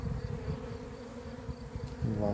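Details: Honey bees, recorded 28 April 2026 when the keeper's bees had gone crazy, produce a low, continuous droning buzz. Soft low thuds recur throughout, and a short voiced sound overlaps near the end.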